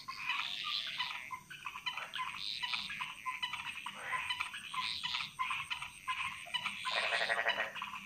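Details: A chorus of frogs echoing through Balinese jungle, Indonesia: crowded rattling croaks swelling and fading in repeated waves, one louder, lower burst near the end, and a faint high insect drone throughout.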